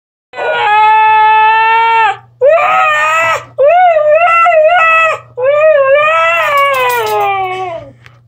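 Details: Female husky screaming in reply after her brother had kept barking minutes before; four long, loud, harmonic wails, the first held steady, later ones wavering up and down, the last slowly falling, with short gaps between.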